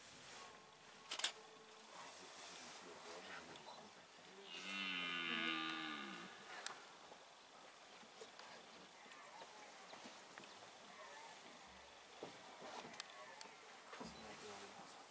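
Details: A red deer stag in the wildlife park of the Domain of the Caves of Han gives one deep, rasping rutting bellow lasting about two seconds during the rut.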